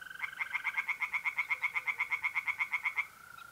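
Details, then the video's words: Close, loud tree frog song by night in a north-east Italian pond in mid-April, about sixteen rapid evenly spaced croaks in three seconds, over a continuous high mole cricket trill. "relaxing singing tree frogs in pond and trilling mole crickets by night"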